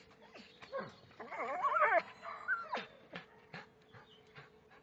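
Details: Belgian Malinois producing a wavering, high whine that bends up and down in pitch, surrounded by scattered clicks and short taps, over a steady low hum.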